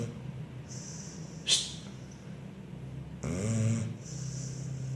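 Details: A sleeping dog named Simba gives a deep, rough snore that rises and then fades over about a second, with a sharp click just before and steady low hum behind.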